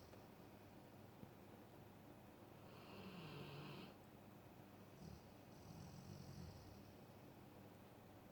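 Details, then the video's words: Alaskan Malamute snores softly: a humming, hissy inhale followed a moment later by a fainter second snore, in a quiet room. "Маламут храпит"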